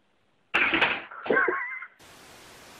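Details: Domestic cat in a compilation of funny cat videos, giving a short, strained meow of about one and a half seconds: a harsh opening burst, then a wavering, slightly falling tone, followed by a steady background hiss.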